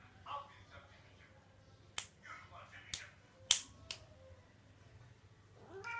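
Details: Pet cat from a funny cats compilation giving short harmonic meows, one near the start and a rising one at the end, with sharp snapping clicks between them and faint voices behind.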